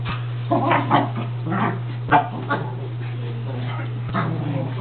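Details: Dogs Molly (Basset/doxie), Oliver (pug) and Rusty (shih tzu) playing chase at Sweet Paws Bakery doggie daycare; short harmonic yips and whimpery barks in uneven bursts over a steady low electrical hum, with possible voices.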